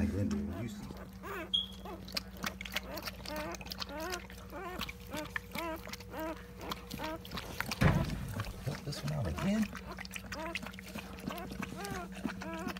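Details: Newborn Siberian Husky puppies, part of a litter of eight being born indoors; quick, high, arching squeaks and whimpers tumble out several times a second over a steady mechanical hum, while a person talks nearby.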